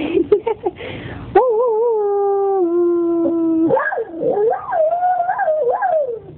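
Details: Howling Belgian Tervuren: a few short yips, then a sustained wavering howl that steps down and holds steady, followed by a warbling, rising-and-falling yodel-like stretch.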